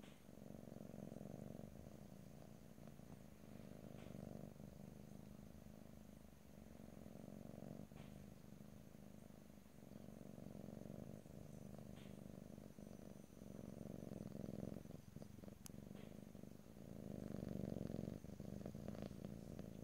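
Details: Continuous low purring from a domestic cat, rhythmic rumbling phrases alternating with quick inhalation gaps every couple of seconds, loudest toward the end; light rustling and a faint thin tone in the background.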